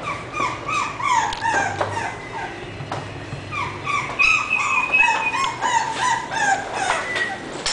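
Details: Young English Bulldog puppy giving a steady run of thin, whining yelps, each a short falling whistle-like cry, repeated rapidly and fairly irregularly. A longer, higher drawn-out whine comes near the middle, over soft room noise.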